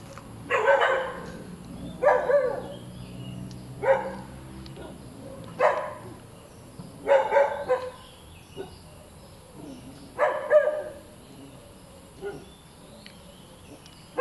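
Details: Persistent barking from a noisy, hyperactive dog: about eight barks in fourteen seconds, some doubled in quick pairs, over a faint low hum.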